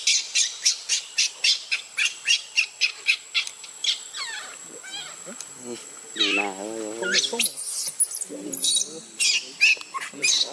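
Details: Baby monkey Luno screaming and crying as his mother leaves him in the water: a run of sharp, high shrieks about every half second, then a long wavering, quavering cry, then more shrill bursts.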